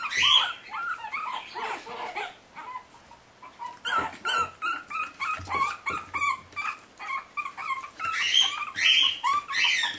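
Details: Puppies forty days old, escaping, give repeated high whimpers and yips, thin rising and falling squeals overlapping in quick irregular bursts throughout, with faint scuffling between calls.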